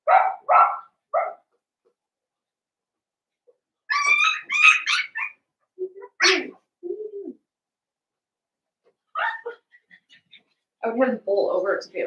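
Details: Blenheim Cavalier King Charles Spaniel puppies, seven weeks old, litter of five, indoors in their pen. High, shrill yips and barks come in bursts, with a short whining note between them and a scrappy cluster of yaps at the end.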